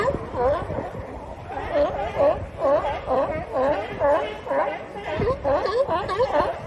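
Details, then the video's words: Sea lion barking in a steady run of harmonic, rising-then-falling barks, roughly two each second, with growly overtones and a low rumbling background throughout. "Sea Lion Sound Effects | Real Sea Lion Calls and Noises"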